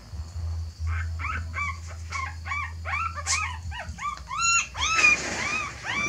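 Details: Puppies of a mother dog that is moving her litter to a new nest, possibly because it is messy. Rapid, arched, high whimpers and yips come about twice a second over a low steady hum.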